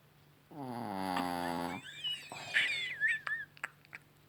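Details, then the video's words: An evening snore from Rocky the Chihuahua. A single drawn-out, buzzy, rattling breath lasts over a second, then fades into fainter wheezy, whistling sounds and a few soft clicks in a quiet room. "Chihuahua Rocky schnarcht"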